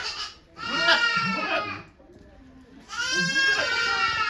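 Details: Doe Okayu in labour with twins at Yoshigake goat farm, 3 May 2023, volunteers attending. Two drawn-out, nasal, quavering bleats of over a second each, separated by a short pause, with soft human voices underneath.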